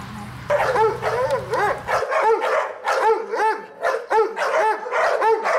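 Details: Pit Bull barking, recorded while a 4-month-old female Pitbull puppy, aggressive toward other dogs, meets a Dobermann: high, arched yapping barks repeated about twice a second, with an engine hum droning under the first two seconds.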